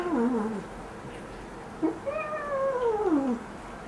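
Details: Cat meowing softly while its claws are trimmed indoors: a brief falling mew followed by a longer, quieter meow that drifts downward, against a low room hum.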